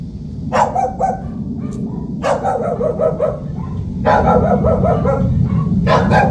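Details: Pet dog guarding the house, barking in short clustered bursts, two or three sharp barks at a time separated by pauses, over steady background music.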